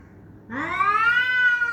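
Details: Pet cat giving loud fighting sounds toward another cat hiding under a car: one drawn-out harmonic yowl that rises, then holds a steady, slightly wavering tone.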